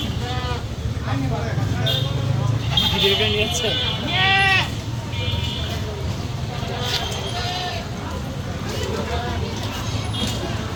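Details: Castrated male goats at a goat meat shop in Mirpur 6 give several wavering, nasal bleats around the middle, almost buried under constant bargaining voices, background music and steady street rumble.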